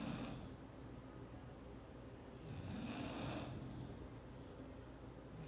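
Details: Bulldog Clyde dozing on a forbidden chair; a couple of soft, raspy snores, one near the start and a longer rumbling breath around the middle, in a quiet room.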